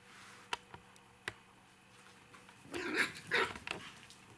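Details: Five-week-old puppies, three remaining from a litter, playing on a fun evening. A few sharp clicks and taps, then a cluster of high, squeaky yips and yelps near the end.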